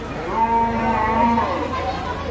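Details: A frenzied cow rampaging through a neighbourhood around Qurbani Eid gives one sustained, harmonic moo that holds steady for about a second and a half before fading, with human voices close by.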